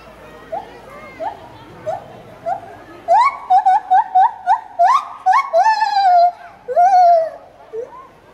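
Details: A gibbon, an acrobatic singing ape at Cerza Zoo, recorded 22 August 2015, sings a series of clear, rising whoops that speed up and grow louder.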